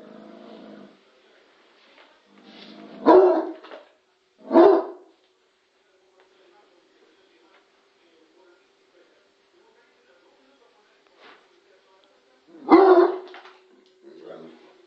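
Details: Lorenzo, a Bloodhound, barks at the television: a few short gruff barks near three and five seconds, another at about thirteen seconds, separated by quiet stretches with faint room sound.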